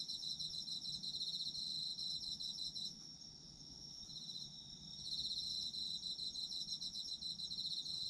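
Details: Autumn insect chorus at night-style sleep ambience: high rapid trilling from several callers, the loudest dropping out briefly midway leaving a softer drone, then resuming strongly.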